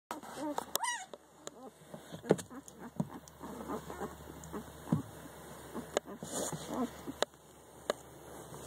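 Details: Five-day-old German Shepherd puppies giving short high whimpers and squeaks, several overlapping, with rising and falling squeals and occasional clicks and rustling.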